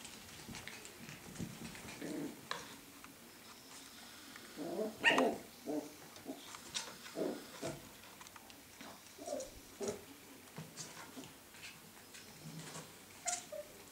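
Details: Scottish Terrier puppies at play, short gruff growls and yaps scattered across fourteen seconds, loudest near the middle, mixed with clicks and scuffling noises.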